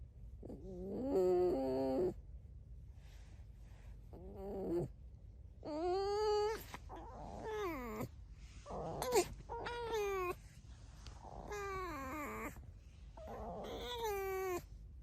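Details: Pet red fox, living alongside dogs, chattering in a run of varied squeaks and whines: short rising and falling nasal cries, some rough and quavering, repeated every second or two across the whole stretch.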